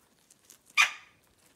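A guinea pig gives a single short, shrill squeak that fades quickly.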